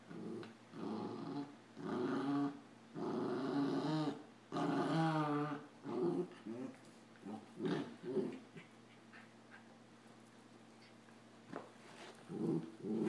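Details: Two puppies play fight, Samoyed Adam and a Rat Terrier: dense, rough, rumbling growls with higher yips and whines run almost without pause for several seconds, then thin into scattered grumbles over steady indoor hum.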